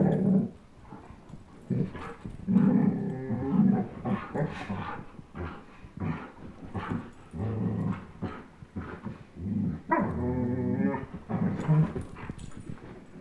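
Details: During a tug-of-war game between a 10.5-month-old German Shepherd and a 1-year-old Old English Sheepdog, the dogs give a long run of choppy, rumbling growls and grunts broken by brief pauses and scuffling noises.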